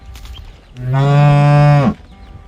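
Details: Calf crying for its mother: a single steady, low, rich moo about one second long, rising slightly at its end, with quiet surroundings before and after.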